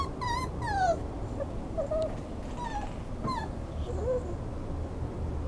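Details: Soft, sliding whines from a Schnauzer, a handful of short descending and curling cries spread over a few seconds, partly masked by broad low background noise.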